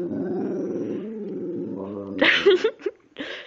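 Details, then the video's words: Precious, a female pet dog in a talkative mood, sings a sustained wavering harmonic moan for about two seconds, followed by several short sharp noises near the end. "Precious sings and talks!"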